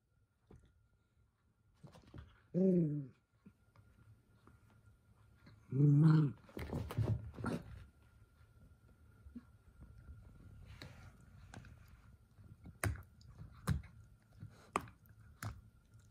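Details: Toy Poodle Minato, the eldest son, in a small room while getting overexcited and being scolded by his sister: two low, tonal, moaning barks a few seconds apart, then scuffling, thuds and clicks.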